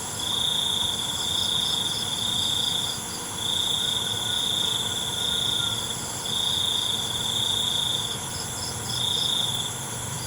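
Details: Nocturnal cricket chorus: a piercing, even trill repeated in bursts of roughly two seconds with short silences between, soft beaded chirps layered above and an unbroken high insect drone behind.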